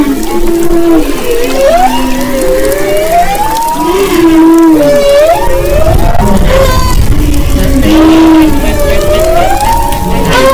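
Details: Humpback whales recorded off the west coast of Maui, February 22-24, 2011: sweeping tonal moans and whoops rise and fall in long glides, overlapping in a dense continuous chorus of layered units over low rumbling.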